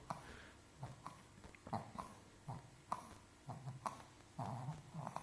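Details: A sleeping Chihuahua snoring softly: short snuffling, snorting breaths repeated roughly every second, low and quiet, with a few fuller rasping snores toward the end.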